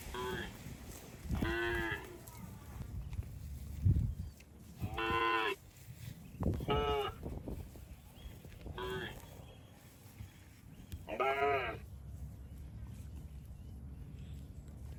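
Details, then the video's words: Cows wading through water in rice fields give repeated loud moos, about five long, rich calls a few seconds apart, separated by quieter splashing and low background noise. "Funny Cow Sounds Passing Water in Rice Fields"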